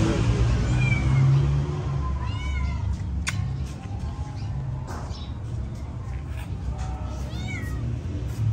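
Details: Cat in an aggressive fight: several short, tonal, bending meows and whines scattered through the clip, with a steady low-pitched background hum and a few sharp clicks.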